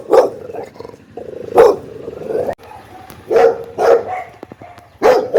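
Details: Angry, loud barking from a pit bull: five forceful, rough barks, two close together in the middle, with a steady low hum in the background.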